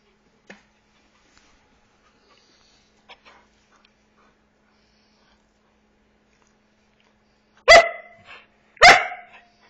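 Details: Eight-month-old Border Collie asking to play, giving two loud sharp barks about a second apart near the end, after several faint soft clicks and taps in a quiet room.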